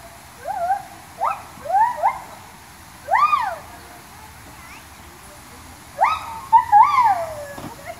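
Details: Gibbons at Cameron Park Zoo calling in clear, tonal whoops: short rising-then-falling swoops with bright overtones, in bursts near the start, middle and end. Quiet gaps between bursts carry a faint background hiss.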